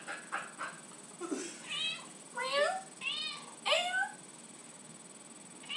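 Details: House cat asking for tuna while its owner coaxes it with questions: a man's voice first, then three quick, rising-falling meows in close succession answering him.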